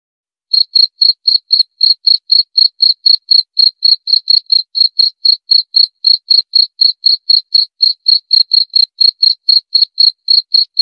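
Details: After a half-second of silence a cricket starts chirping, repeating clear, high, pure-toned pulses roughly four times per second with a steady rhythm until the end.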